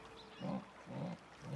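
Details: In the forest of the Brazilian Pantanal, a female jaguar gives deep, grunting calls in a rhythmic series, calling a male to her to mate.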